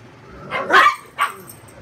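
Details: A Chihuahua gives two sharp, high-pitched barks in quick succession while playing on a bed with a Great Dane shepherd mix, barking at and nibbling the larger dog as it dodges.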